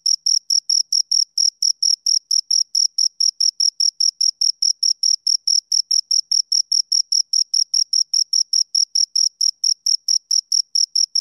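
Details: Two crickets produce unbroken high-pitched chirping for over eleven seconds: brief, clipped pulses repeated rapidly and steadily, around four per second, with nothing else audible.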